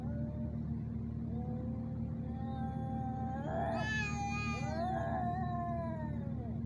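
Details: Male cats in a fight, recorded handheld in Sharjah, UAE: drawn-out moaning yowl that climbs into a loud harsh screech, then a second rising wail, against constant low humming background noise.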